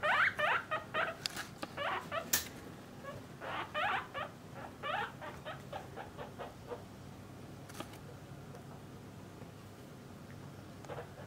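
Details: Household guinea pigs, a parent with young kept in separate cages by sex, squeal in bursts of sharp rising whistles, dense at first, then thinning out and falling silent except for one late squeak.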